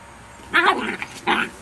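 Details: Rhodesian Ridgeback puppies barking: two short, high yapping barks about three-quarters of a second apart over faint background noise.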